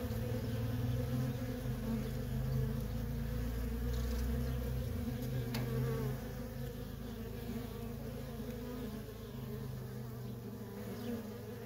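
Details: Nonstop traffic of worker honey bees at a feral colony fills the air with a low, heavy, continuous buzzing drone. It is rich in deep tones and holds steady with gentle swells.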